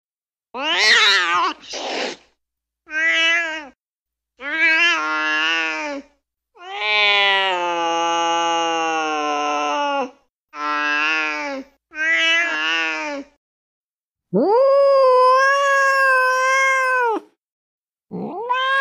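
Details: Domestic cat giving angry, intense meows: a series of long, harmonic-rich wails, some wavering and some steady, each lasting one to three seconds, separated by short silences, with a sustained high yowl near the end.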